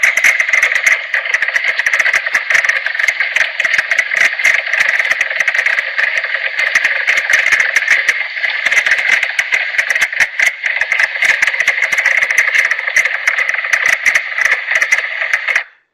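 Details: Mink frog call likened to distant hammering of nails, a dense rapid clattering of knocks running continuously through the whole stretch; a green frog also calls in the background.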